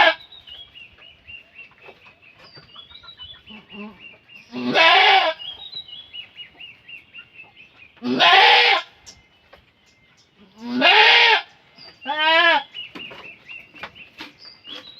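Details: Goat bleating while giving birth, a farm animal in labour: four loud, harsh, quavering bleats spread over fifteen seconds, the last one shorter and pulsed, with steady chirping of small birds in the background.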